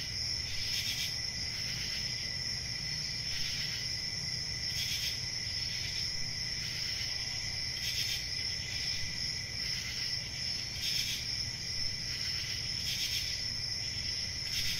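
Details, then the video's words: Continuous shrill cricket chirping, pulsing in louder bursts about every second or two, with a faint low hum underneath. "1 Hour of Cricket Sounds"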